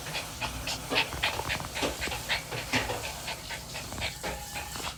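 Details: Excited pet puppy panting hard: rapid, breathy huffs, roughly three to four per second, each a short hiss-like burst of air in fairly even rhythm, recorded close up indoors.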